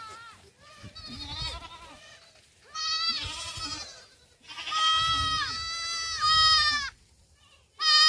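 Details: Young black goats on a farm in Gimhae, South Korea, racing about in July; loud, wavering, harmonic bleats come in bursts of about a second, several overlapping callers, with faint low rumbling underneath.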